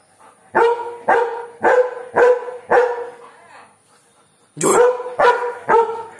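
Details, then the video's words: German Shepherd dog barking aggressively at birds: loud, harmonic barks repeated roughly every half second in a run of five, a pause, then three more barks, one with a harsh noisy onset. "German Shepherd aggressive barking"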